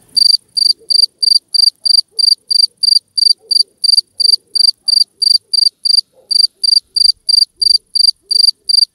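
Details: Two-spotted cricket chirping in loud, shrill, pure-toned pulses, about three a second, in a steady run with one brief pause. The background is otherwise nearly silent.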